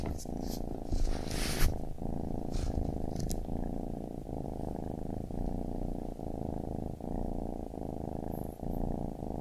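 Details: Baby kitten purring: a steady low rumbling purr that swells and breaks with each breath, about once a second, with a few brief soft rustles and clicks early on.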